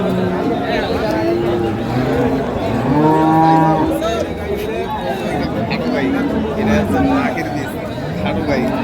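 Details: Cattle among cows and calves for sale at Ambari haat livestock market, Dinajpur, on 25/4/25: a low, drawn-out moo rises briefly out of dense crowd chatter and haggling voices.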